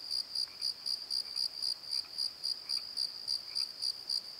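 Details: Crickets singing at night in a valley bottom near a tree: sharp, high chirps pulsing about four times a second, with faint lower chirps from other insects now and then.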